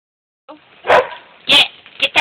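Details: Beaux the dog barking while chasing squirrels, something he keeps up all day: a loud bark, then a second louder one half a second later, and two short sharp barks close together at the end, with a person's voice urging him on.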